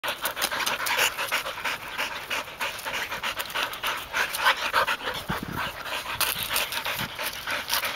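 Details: Golden Retriever, one of three sister dogs, a one-year-old among them, panting during retrieving play on 29 September 2010; rapid breathy huffs repeated about three times a second, steady and continuous throughout.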